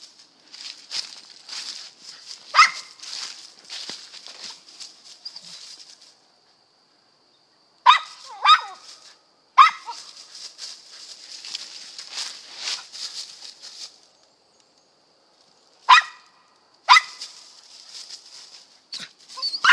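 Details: Squirrel dogs at a west Kentucky kennel bark in a few isolated, sharp calls between stretches of rustling and shuffling, while a loud, steady insect drone fills the background.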